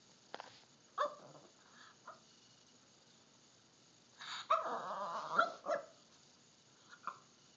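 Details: A Miniature Pinscher barks at a Halloween pumpkin it seems scared of, giving sharp, high barks, a few single yaps then a longer strained burst.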